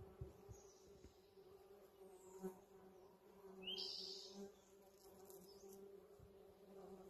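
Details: Western honey bees hum with a steady, low droning buzz that swells and fades as they pass, drawn to a yard in spring by a blooming holly tree.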